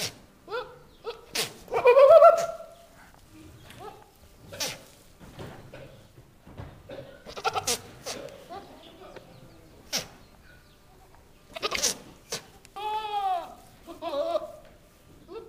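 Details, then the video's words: Two Nigerian Dwarf bucks, newly brought home, call while females in heat are nearby in the barn: harsh sputtering bleats, sneeze-like snorts and a wavering, monkey-like scream, in bursts separated by quiet gaps. "Billy goat calls"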